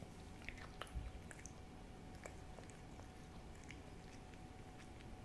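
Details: Hodu the cat eating a Ciao Churu treat indoors, recorded close for ASMR: soft wet smacks and faint licking clicks scattered irregularly over a steady low room hum, with a faint constant tone throughout.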